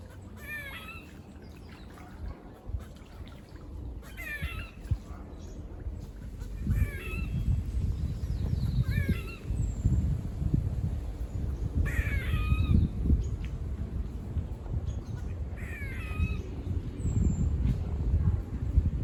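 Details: Six rasping, descending barks come from squirrels seen climbing and running near a farm, repeated every two to three seconds against a background of rumbling wind.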